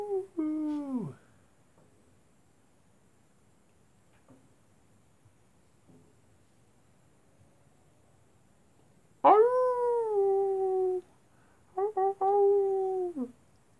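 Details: Wolves at night: a short howl sliding downward opens the recording, followed by about eight seconds of near silence, then two loud sustained howls that start high and ease gradually lower.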